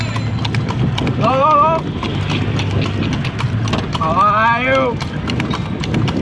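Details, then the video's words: Night-time horse cart ride: regular clopping hoofbeats under two bursts of wavering voiced, song-like sound and a low steady hum. "Clip Clop Sound effect. // Night time horse cart ride."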